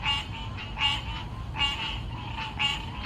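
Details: A chorus of male spring peepers in trees in Wilmington, North Carolina, after the Azalea Festival, gives high, bright, overlapping peeps like jingling bells or sleigh chimes.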